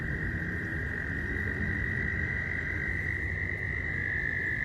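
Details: Mating-season frogs at a nearby pond, recorded from close range: a dense, continuous chorus of high trills at a constant pitch, with a faint second band above it and a steady low rumble underneath.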